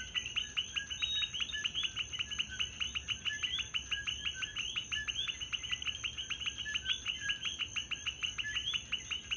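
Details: Many coquis fill a Puerto Rico night with intermittent calls, heard as a thick, continuous chorus of brief chirping, rising notes at a fast, even pace, backed by a persistent high-pitched drone.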